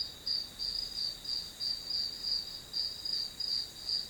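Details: High grass-insect chirps backing a one-hour study recording, pulsing rhythmically nearly three times a second with one brief break in the sequence, over a faint steady high tone.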